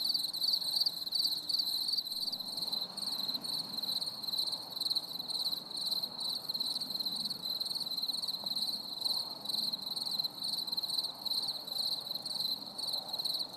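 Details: Summer evening crickets during stormy weather, a constant high chirping band pulsing steadily, with soft broadband rumble like wind or distant traffic beneath.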